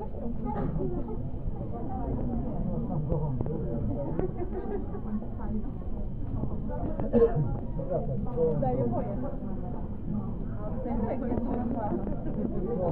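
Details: South African fur seals calling together in a colony, a dense, continuous chorus of low, overlapping bleats and groans with no pause, one slightly louder cry standing out near the middle.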